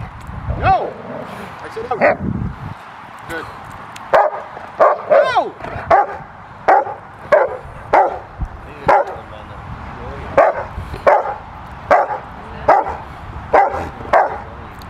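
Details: Excited barking from Carma, a retired IGP2 Rottweiler female let out of the dog trailer to play with the helper at training; a steady series of sharp barks about every half second, preceded by brief speech and scuffling.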